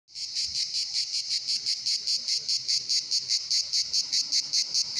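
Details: Singing cicadas at the Pitsunda resort in Abkhazia in summer, many together: a loud, harsh, buzzy drone with steady pulses about two or three per second, continuous throughout.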